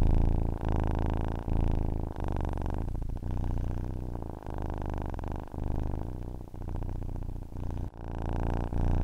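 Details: Close purr of a domestic cat, low buzzing drone in uneven breath-long phrases, one soft click near the end, recorded as a sleep aid.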